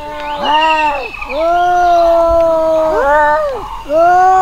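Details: Cats fighting: loud, drawn-out wavering yowls that rise and fall, with one long howl of over a second followed by shorter, sharper rising wails.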